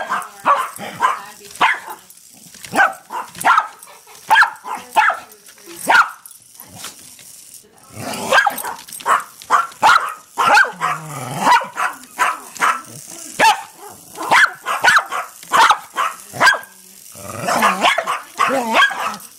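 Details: Two house dogs, Patrick and Mia, barking at a small Hexbug toy; rapid, steady high barks repeated about twice a second, with a brief low growl in the middle.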